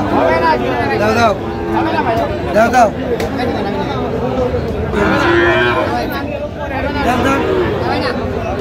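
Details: Sahiwal bull calves at a cattle market in Shariatpur, Bangladesh, on 12 August 2025, lowing amid busy bargaining. Several moo-like calls rise and fall over steady crowd chatter and men's voices haggling over prices.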